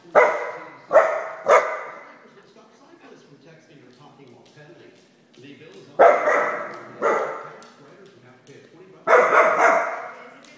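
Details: Soft Coated Wheaten Terrier angry at his reflection, giving sharp rough barks in clusters of two or three with pauses of several seconds between, indoor echo trailing each bark.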